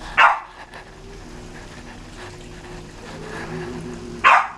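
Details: Welsh Corgi being petted, giving two short sharp yelps, one at the start and one near the end, with a low steady room hum in the gap between them.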